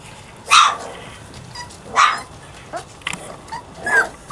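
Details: Puppies Savannah and Jericho during playtime: three loud, sharp yapping barks spaced about one and a half seconds apart, with small squeaky yips between them.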